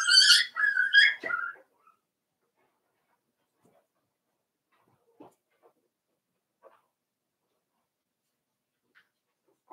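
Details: Five-week-old Cavalier King Charles Spaniel puppies in Daisy's puppy pen give a quick burst of high, harmonic whining yelps during the first two seconds, followed by near-silence broken only by faint soft knocks.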